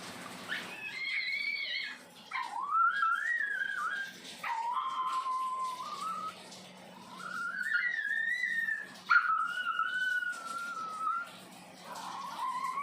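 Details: Chihuahua making its odd, eerie vocal sounds: long, wavering whines that rise and fall, sometimes sliding upward, in drawn-out phrases of several seconds with short breaks between them, heard indoors.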